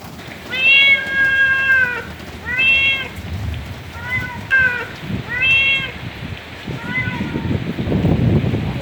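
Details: A cat meowing in a garden on a rainy day: five or six drawn-out, harmonic meows, each about a second long, arching slightly in pitch, with steady rain pattering in the background.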